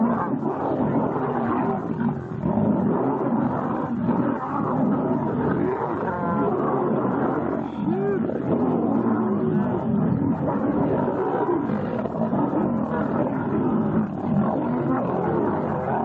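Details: Lions about 5 metres away snarl and roar in a fight, with deep, rough growls running almost without pause.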